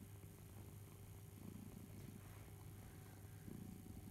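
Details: Deep, even purring from Barnaby, a pet house cat, while he suckles his cherished teddy bear Boo; the rumble pulses with a couple of louder swells and carries faint background hiss.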